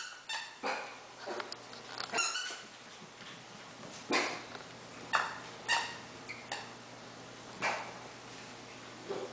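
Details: Havanese puppies of Freya's litter at play indoors; sparse short high yips and squeaks, roughly one every second or two, over quiet room noise and soft scuffling.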